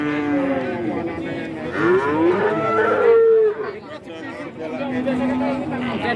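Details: Several cattle low at Kajen cattle market in Pekalongan, Central Java, with overlapping moos, one rising and bending in the middle, a lower steady moo near the end, and a crowded market din throughout.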